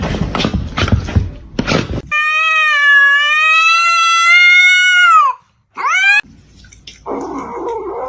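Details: Domestic cat giving a long, drawn-out harmonic meow of about three seconds, held steady then bending down at the end, followed by a short rising meow; noisy bursts and shouting voices come before it, with quieter room noise after.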